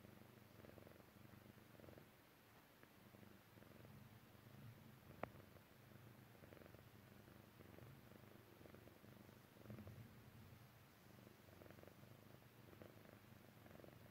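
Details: Persian Chinchilla cat Jessie, a kitten, purring while falling asleep; soft low purr in breathing-paced surges about every second, a single sharp tap partway through, otherwise quiet.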